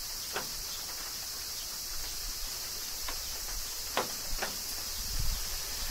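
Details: Kyoto summer rain with cicadas, Japan: a constant high insect buzz runs steadily beneath several bright raindrop ticks and a low rumbling patter toward the end.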